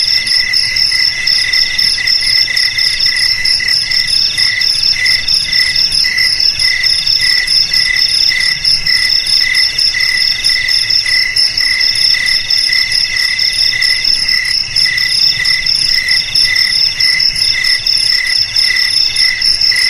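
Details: A steady cricket chorus: high, tinkling pulses repeating rapidly over a continuous shrill ringing, with several tones stacked together and a constant loudness throughout.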